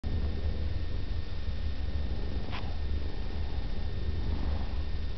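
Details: Daisy, a female Siamese cat, purring: a steady low rumbling throb pulsing in regular rhythm throughout, quiet and close, with one faint click midway.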